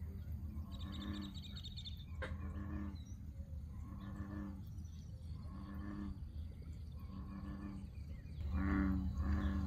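Deep, resonant bullfrog rumbles repeat about once a second, a low droning series that swells louder near the end over a faint background hiss.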